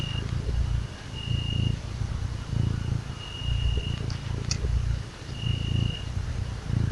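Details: Little kitty that loves to be petted gives a rumbling, vibrating purr in rhythmic pulses about once a second, close and clear, with short bursts of a faint high whine in the background.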